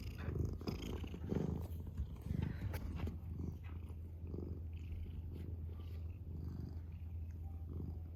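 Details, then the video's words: Adopted house cat purring: low rumbling drone, louder pulsed bursts in the first half roughly once a second, then a softer, even purr. "A Lean Mean Cat Purring Machine"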